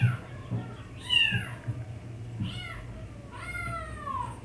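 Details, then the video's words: Teased house cat letting out three high, bending meows that rise then slide downward, the last one longest and falling, over a low indoor hum. "si mpus heransuara nya dri mana padahal di kerjain"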